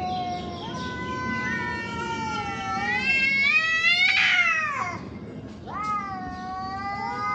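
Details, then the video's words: Cats in a fight: sustained moaning yowl that climbs into a loud, strained peak, breaks off, then restarts as a fresh rising wail, with a low hum beneath. "Cats Fighting with real sound"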